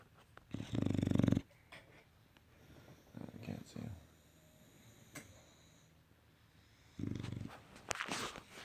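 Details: Olde English Bulldog asleep, giving two deep, rattling snores near the start and end, separated by softer irregular breaths, with faint rustling and possible voices in the room.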